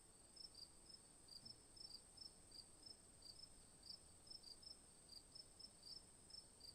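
Crickets chirping in quick, high-pitched bursts, several times a second, over a faint steady hiss.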